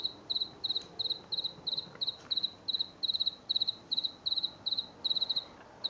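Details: An unseen house cricket sings from behind a garden shed at night in late September 2022, after a week of song that began in late August: steady, high chirps, each a quick trill of three pulses, about three per second. It falls silent whenever approached.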